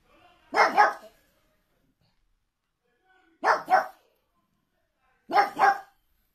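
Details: Pug barking in three separate bursts, each a quick doubled bark about two seconds apart, with quiet gaps between and no other clear sounds.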